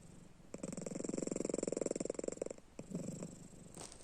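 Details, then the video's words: Pet cat asleep with open eyes, snoring indoors: a two-second run of fast, buzzy rattling pulses, a short pause, then a softer rattling breath and a faint click. "Как храпит кот?"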